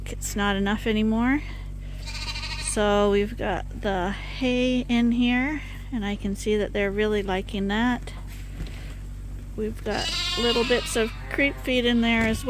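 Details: Lambs at Ewetopia Farms, still nursing but topped up twice daily from a hand-made bottle feeder, bleat over and over in overlapping, wavering calls, several at once, against a steady low mechanical hum.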